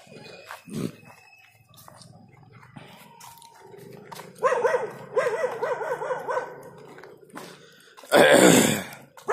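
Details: Labrador Retriever in leash walking training in Bangalore: wavering, repeated harmonic vocal bursts in the middle, then a loud harsh burst near the end, with scattered clicks and handling noise between.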